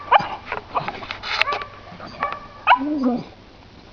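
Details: English Bulldog female playing with her ball in the snow; short whiny whimpers and a brief yelp-like sound, with a person talking to her nearby.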